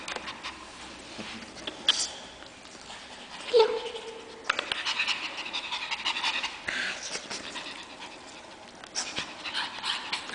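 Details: Two Pekingese puppies pant in quick, breathy bursts while playing, with a brief high yelp that drops in pitch.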